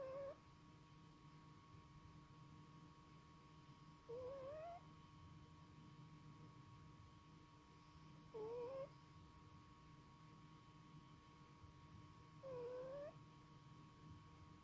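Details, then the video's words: A male cat snoring in its sleep, making short, slightly rising whistled notes about every four seconds, one on each breath, with quiet low hum between them. "Snoring Cat"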